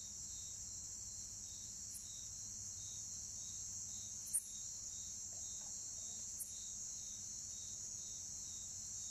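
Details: Short, loud chirps from two Bucrates katydids. Three crisp, very high ticks spaced roughly two seconds apart cut through a continuous shrill insect chorus of other orthoptera.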